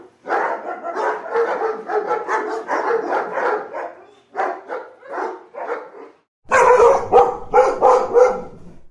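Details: Dog giving rapid, repeated barks about three per second, loud and rough, with a short quieter stretch and a silent gap before a final, louder, sharper burst of barking.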